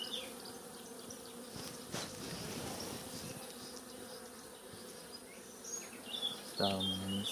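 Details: Colony of honey bees droning at an open hive as frames are returned during expansion with foundation; a continuous low hum throughout, with a sharp knock near the start and bird calls toward the end.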